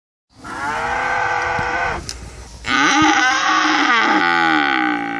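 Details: Cows lowing: two long, loud moos with rich stacked harmonics, the first steady for about two seconds, the second rising then holding and dropping in pitch, with a brief rustle between them.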